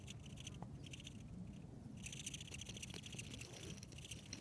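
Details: Female velvet ant found walking on a trail at Almaden Quicksilver Park, giving buzzy, pulsed squeaks in rapid rasping bursts: one short burst, a brief pause, another, then a longer run for the last two and a half seconds over faint outdoor rumble.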